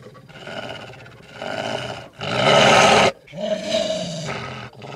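A wolf gives rough, throaty growls in several bursts, the loudest a harsh snarl near the middle.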